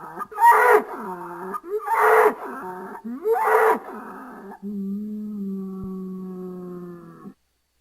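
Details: Three short, harsh bellowing bursts from a bull come at about one-second intervals, followed by a long, smooth, steady low moo lasting nearly three seconds.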